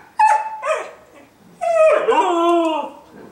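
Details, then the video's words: Female Siberian husky asking to go for a walk after a two-day move without exercise: two short yelping notes, a pause, then a longer wavering howl that bends downward, indoors as her owner questions her. "My Howling Husky Girl"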